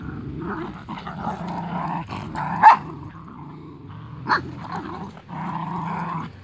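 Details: Playing Husky Corgi puppies growl in low, gravelly stretches, broken by two sharp yips or barks partway through, with rough-and-tumble rustling between.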